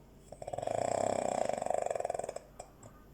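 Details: Dog snoring in its sleep, one long buzzy, vibrating breath that swells and fades over about two seconds, with a soft click afterwards in a quiet room.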